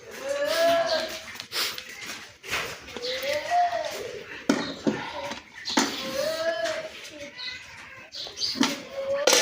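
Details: Cow on a dairy farm in Bangladesh during milking, giving three drawn-out, arching moos that rise then fall, spaced about three seconds apart, amid clattering and knocking farm noises.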